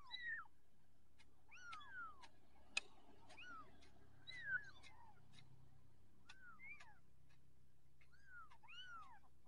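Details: Young orange Persian cat mewing softly with short, curved, high-pitched cries spaced irregularly. Occasional sharp clicks and a faint background hum are also heard.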